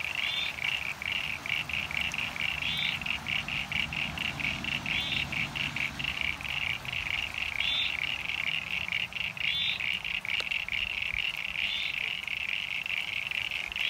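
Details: In a rain-filled pond in NSW, Australia, on 9 Sept 2022, a dense chorus of common eastern froglets gives rapid high chirps, with occasional squeaky creaks from eastern sign-bearing froglets standing out above. The froglets called for weeks, day and night.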